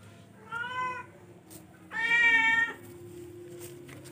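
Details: Two meows from a charcoal F1 cat: a short, moderate call, then a longer, louder, drawn-out one with rich harmonics, against a steady background hum.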